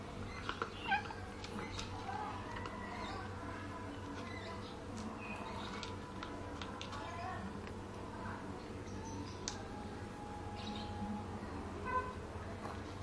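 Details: A pregnant orange classic tabby cat that is greedy for food makes faint, intermittent mewing calls against a constant low drone, with clicks and small knocks scattered throughout.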